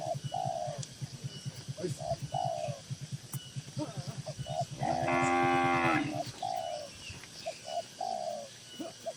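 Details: Tame cattle gathered in a farm shed; one cow gives a single drawn-out, harmonic moo at about five seconds over a rapid low rhythmic thumping, possibly machinery, with brief soft calls, possibly birds, scattered throughout.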